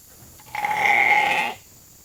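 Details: Evening feeding time at Nature Lane Fiber, with a hungry flock of sheep rushing the holding pen for grain; a single strong, level, reedy bleat of about one second, quiet before and after.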